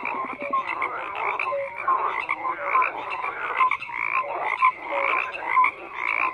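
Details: Frogs croaking together in a thick, unbroken chorus, with rasping calls stacked over brief whistled notes, swelling and easing every second or so throughout.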